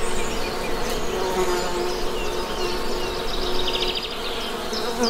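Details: Honey bees buzz in a dense, low droning hum with slight wavering pitch, with faint high bird twitters in the background.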